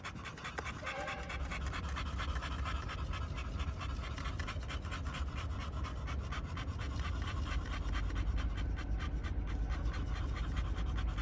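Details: Pocket American Bully boys from a Romanian kennel pant steadily, with quick breathy strokes over a constant low rumble and a brief faint squeak early on.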